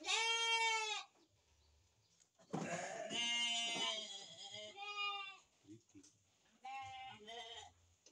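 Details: Sheep at a breeding farm, mothers and lambs together. A clear, high, tremulous bleat opens, then several overlapping calls follow from about two and a half seconds. Another pair of shorter bleats comes near seven seconds, with faint speech between them.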